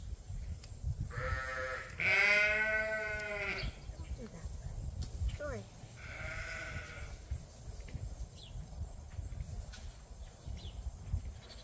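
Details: Leonard, a favourite ram at Ewetopia Farms, in the barn as a trim with scissors is offered: a short bleat, then a long, loud quavering one, a third about four seconds later, and a human voice in between.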